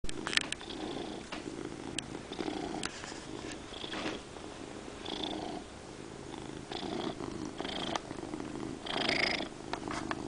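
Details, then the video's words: Domestic cat purring loudly indoors in a small room, a steady low rumbling purr running throughout, with intermittent brief higher breathy bursts and soft rustling. "Dexter Purring"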